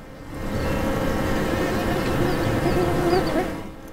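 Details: A young feral honey bee colony nests in a deep crack of an old ruin wall about three metres up, morning sun on the entrance, between Rovinj and Pula, Istria, Croatia, in spring 2018; a steady, low droning hum from many wings, rising and fading, with faint higher whines.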